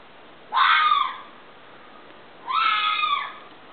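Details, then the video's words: Fox scream: two drawn-out, raspy wails, each close to a second long, rising sharply at the start then holding steady, separated by about two seconds of quiet. "fox scream"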